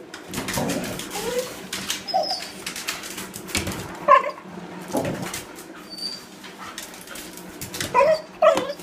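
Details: Anxious Border Collie whimpering indoors: short, thin, high whines come every second or two, some sliding upward, amid scuffling and rustling movement noise in a small room.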